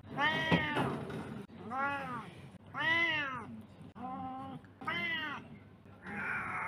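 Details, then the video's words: Domestic cat giving six short meows about one second apart, each a clear harmonic arch rising and falling, the last one rougher and more nasal; faint background noise throughout. "Cat meows compilation #29"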